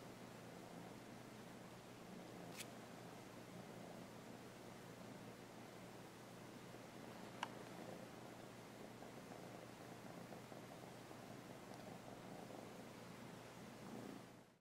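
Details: Kitten JEJE being trained to give a paw indoors, purring in a low, steady, continuous rumble that runs almost unbroken throughout, with two sharp brief clicks and faint rustling in a quiet small room.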